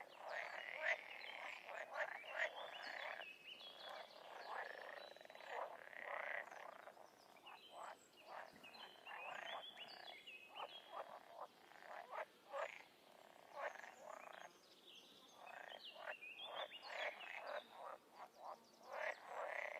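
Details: Frogs and toads in the wild, a busy chorus of repeated croaking pulses and rattles overlapping without pause, a few higher squeaky notes above, intensity rising and falling across the stretch.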